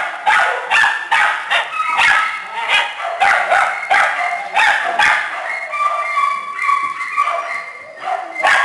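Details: Shelter kennel with small dogs and puppies: rapid, overlapping high yaps, then toward the end a few drawn-out, tonal whines mix in among the barking.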